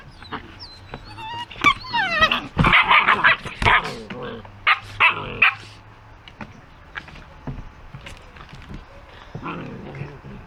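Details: Puppies playing with a toy, white dogs, producing a burst of high whiny yips and squeals early on, then scattered short yaps amid clatter and rustling of play.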